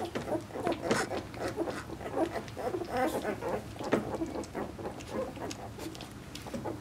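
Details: Piper's Vizsla pups, two weeks old and born 20 February 2012, give a steady stream of thin overlapping squeals and whines, many short calls close together, backed by faint rustling of bedding.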